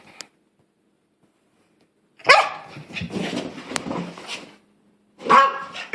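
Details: Female pet dog indoors, reacting with unusual noises because she dislikes her new sweater; one loud rough bark-like outburst trailing into a grumbling, noisy stretch for about two seconds, then a second short harsh burst after a pause.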